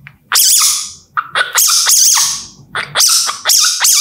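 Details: Baby civet giving shrill, high, wavering squeaks in quick bursts, four main cries spread over a few seconds with brief pauses between, faint low rumble underneath.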